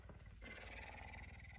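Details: Messi, a hungry puma up earlier than usual on a Tuesday morning, affectionate and eager for breakfast, gives a faint, steady, drawn-out tonal call. It begins abruptly after a brief low rumble and holds level to the end.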